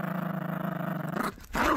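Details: Gracie, a sassy Yorkshire Terrier puppy protective of her toys, growls while playing tug-of-war over a brand new squeaky dinosaur toy: a low, steady, pulsing rumble lasting just over a second, then a louder noisy burst.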